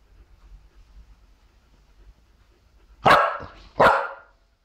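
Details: Zara, an English Bulldog mix, playing with a new treat puzzle ball as treats slowly drop through its labyrinth; after a few quiet seconds, two short, loud barks come close together, under a second apart.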